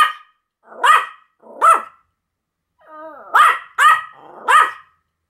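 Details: Sam and Marin, a pair of Pomeranians, duet-barking: two shrill yaps, a short quiet spell, a drawn-out whining tone that slides downward, then three more sharp barks close together.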